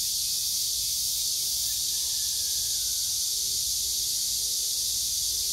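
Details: Steady, shrill, unbroken cicada buzz near an old tree, date-plum tree, morning glories and pumpkin leaves, with faint low notes now and then underneath.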